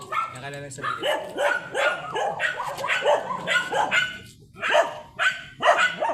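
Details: Blue-line Shih Tzu named Sanji on a sidewalk in San Carlos City, Pangasinan, yapping in quick, sharp, repeated barks through the whole stretch while voices carry in the background.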